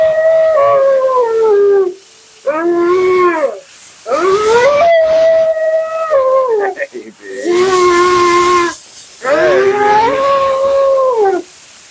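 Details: Mila, a dramatic female Siberian Husky, talks nonstop through a grooming session. She makes repeated moaning, warbling yowls of about a second or two each, rising then sliding down, against a loud steady hiss of running water or blower.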